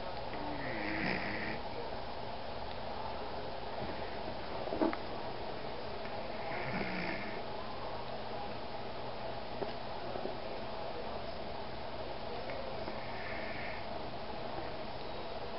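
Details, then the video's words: Alphie, a 14-year-old rescue Pomeranian, snoring indoors in a small room: soft, breathy rasping snores swell in bursts about every six seconds over a steady low hum, with an occasional faint sniff. "So my dog snores..."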